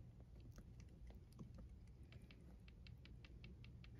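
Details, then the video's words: Neonate kitten at a rescue, cared for with medication and tube feeding, purring: a steady low rumble pulsing continuously, overlaid by small clicking and tapping handling noises near the microphone. "Neonate Kitten Smoky - Bottle Feeding, Bathing, Purring"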